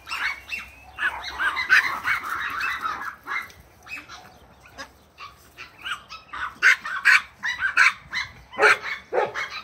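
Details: A Bouvier des Flandres puppy at play, chasing with a long-haired Chihuahua; dense strings of shrill excited barks and yips, fading briefly midway, then returning as a fast, insistent volley.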